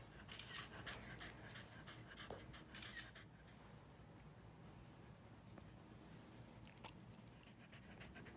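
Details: A corgi puppy pants and snuffles in quick, uneven bursts amid rustling and tearing as he destroys a giant stuffed teddy bear.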